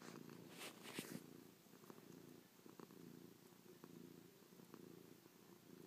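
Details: Chloe, a pet cat, purring while pressed close after sleeping on her owner's back all night, kissing, pawing and licking the owner's face; steady low rumbling purr in pulsing cycles with a few brief clicks and rustles near the start.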